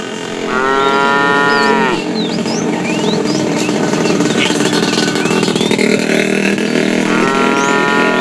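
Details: Fat cow in a tame herd calling the female while being driven in the afternoon; two steady harmonic moos, one early and one at the end, over constant engine-like rumble and chirping birds.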